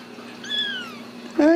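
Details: Ragdoll kitten raised in a home cattery in central Kansas gives a single drawn-out meow, high and clear and slowly sliding down in pitch, followed immediately by a person starting to speak.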